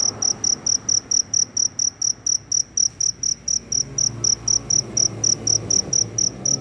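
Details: Very loud cricket after the rain, seeking a mate; bright high chirps pulse regularly around four per second, with a faint low hum rising in the background midway.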